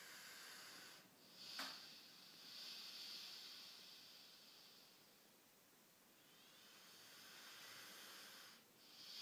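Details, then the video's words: Female Rhodesian Ridgeback snoring in deep sleep, eyes left open; soft airy rasping breaths rise and ebb over several seconds, broken by a brief sharp click near the start. "Snoring ridgeback"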